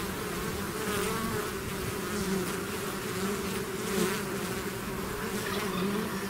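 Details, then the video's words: Many bees swarming out of the hive produce an even, dense buzz, a deep humming drone with light rise and fall in loudness. "bees therapy swarm natural buzzing sound"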